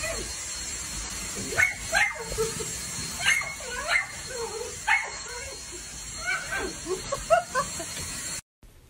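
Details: Dachshund puppies at play: a run of high, sharp yips and short barks in uneven bursts, some with falling squeaky tails, over a steady background hiss and possible voices.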